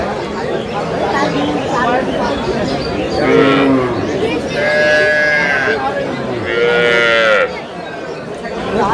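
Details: Cows with calves at Aftabganj cattle market (haat), Dinajpur, Bangladesh, on 25 August 2026; three drawn-out moos, the last two higher and longer, rising over busy crowd chatter and bargaining men's voices.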